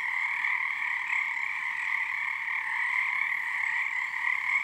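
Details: Many frogs calling together in a wetland on Harstine Island, Washington, under a full snow moon early in their season; an unbroken, humming chorus of rapid croaks with two resonant layers, swelling slightly and dipping near the end.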